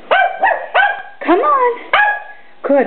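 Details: Papillon dogs at home, prompted by their owner to sing, give drawn-out yodelling barks that bend up and down in pitch, five or six in a row, with a brief spoken praise.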